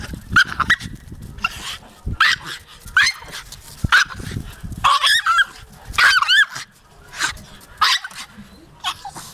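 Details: Jagdterrier giving a series of high, sliding yelps and whines, each brief and wavering, repeated about every second with short pauses between bursts.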